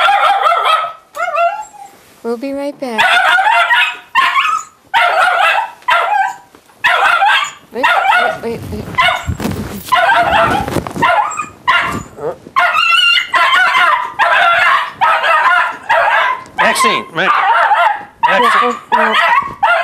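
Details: Maxine, a 1.5-year-old female Jack Russell Terrier, jumps, nips and races around when people leave the house. She gives a long run of sharp, rapid barks, about one every second, with a brief noisy scuffle in the middle and voices in between.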